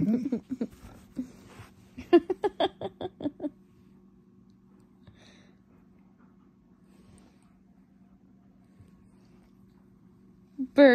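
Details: Alaskan Malamute named Burton, a pet dog indoors, yelling, a breed said to yell whether happy, sad or annoyed; a run of short, harmonic, talk-like yowls over the first three seconds, then quiet with a steady low hum and a brief sound at the end.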